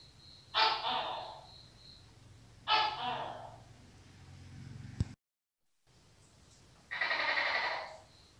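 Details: Tokay gecko: three rasping, two-syllable barks, the third longer and more drawn out, separated by quiet pauses with a single sharp click between them.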